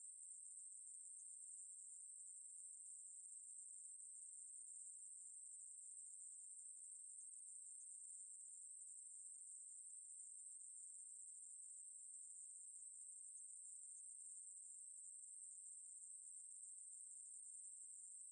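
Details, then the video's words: Long, unbroken high, thin buzzing from a conehead katydid, steady in pitch and volume across the whole stretch with only a faint flutter, and no other animals or background noise. "매부리, 1번 듣기, 곤충소리"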